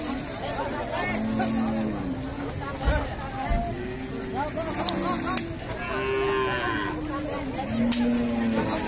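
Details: Cattle being unloaded from a boat at the Paragram cattle market, giving several drawn-out low moos amid dense crowd chatter, shouting and general market noise.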